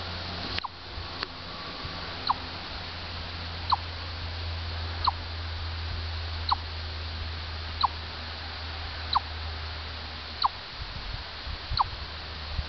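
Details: Orr, Minnesota chipmunk calling in a regular series of around nine clipped, falling chips roughly one per second and a half, preceded by a few handling knocks and a low rumble in the background.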